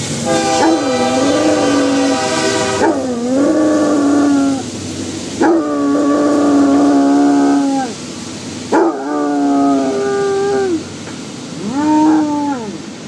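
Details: Five-year-old male Basset Hound howling at a passing train, his only trigger for this howl; long drawn-out tonal howls with rising and falling ends, four to five in a row, over steady train rumble and horn-like noise.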